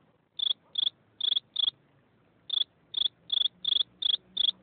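A cricket gives bright, high-pitched chirps, each a quick burst of pulses. The chirps come in clusters separated by short pauses, with faint low background hum beneath.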